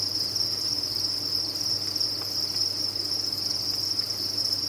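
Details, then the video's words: Crickets kept on a cricket farm, many chirping together in a dense, continuous high-pitched trill that blends into one steady shimmering band, with a faint low hum beneath. "Sound of a Cricket Farm"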